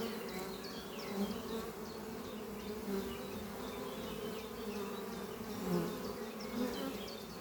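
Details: Busy honey bee colony flying at its hive under trees in spring morning light; rich continuous buzzing with individual bees passing close and fading, plus scattered high chirping birds.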